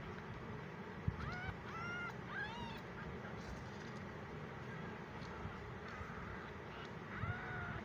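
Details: Fifteen-day-old tiny kitten, abandoned by his mother in a gallery and unhappy in a new home, gives several thin rising-falling mews close together, then another after a pause, over steady low traffic rumble.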